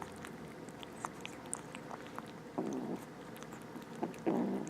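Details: Two rescued stray kittens eating indoors, with wet chewing clicks throughout and two brief low mews near the end, the last slightly louder and wavering.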